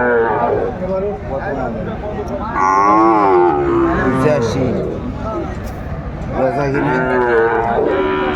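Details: At Aftabganj market in Kurigram, Bangladesh, Sahiwal calves for sale give long, wavering lowing calls that bend up and down, two main bouts separated by a short lull, with talk and market bustle behind.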